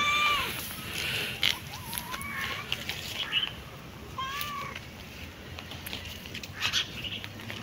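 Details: Cat giving several short, tonal meows that rise then fall, at the start, near one and a half seconds and again around four seconds, while high, sharp bird chirps and clicks sound throughout.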